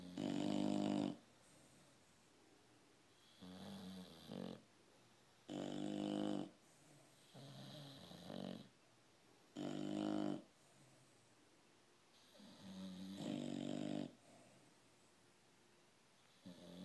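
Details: Two English Bulldogs snore loudly, with rough, rattling breaths repeating every couple of seconds.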